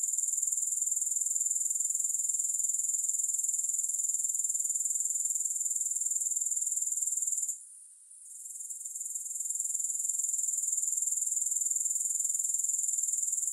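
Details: Grasshoppers, recorded without music: a shrill, high continuous trill pulsing about four times a second, briefly dropping out to near silence around the middle before resuming at full strength.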